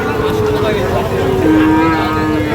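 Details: Sahiwal bull calves at Ambari cattle market, Parbatipur, Dinajpur, Bangladesh, on Friday 8 August 2025; one long, steady, tonal moo that slides gradually lower in pitch, over a constant engine-like hum and market noise.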